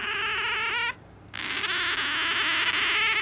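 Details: Female pet otter kept at home with a cat: loud, insistent squealing in strongly harmonic, wavering whistles, repeated several times a second, with a brief pause before the squeals resume.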